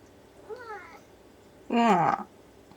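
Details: Ragdoll cat at home in the morning, repeatedly asking its owner to open a storeroom door. A quiet rising-falling meow is followed a second later by a much louder, harsher, insistent meow.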